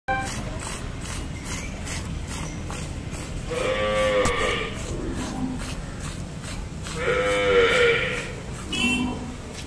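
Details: A cow, filmed with its calf during hand milking, gives two long, harmonic moos, rising then falling, over a steady background hiss.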